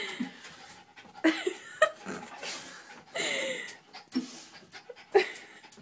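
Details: Bart, a Jack Russell terrier, excited about his toy in a bathtub but reluctant to climb in for it. Breathy, broadband panting bursts come in irregular surges, with short whiny harmonic tones and some voices mixed in.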